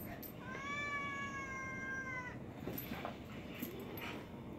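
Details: Fearless, relentless feral alley cat confronting Boston Terriers, letting out one drawn-out, level, wailing meow of nearly two seconds, rich in harmonics, over steady background hiss and scuffling.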